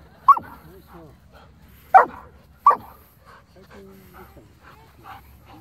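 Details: Dogs, with Pom Pom matched against a Border Collie and a Shepherd, giving three abrupt barks, one alone and then a close pair, amid faint talking and quiet room noise.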